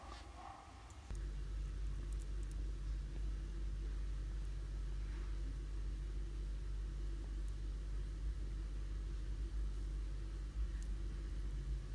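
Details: A continuous low rumble like a passing or idling car fills the recording after a quieter first second. No animal voice can be picked out above the engine noise.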